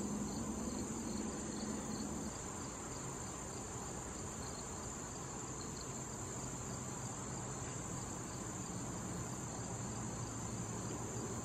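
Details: Crickets in a late-summer patch of wild thistle with bees and butterflies: an unbroken high shrill tone with faint, irregular chirp pulses, and a low droning hum beneath.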